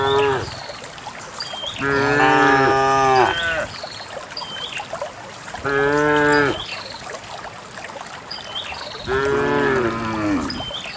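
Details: Dozens of cows herded and running along a narrow path to the farm pen; three loud drawn-out harmonic moos about every four seconds, with birds chirping high in the background and faint rustle of movement.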